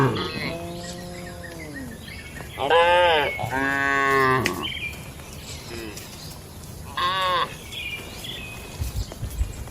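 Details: Tame cattle in a farm shed during daily activity: a long low moo at the start, then two louder strained moos close together around three to four seconds, and a shorter higher call near seven seconds.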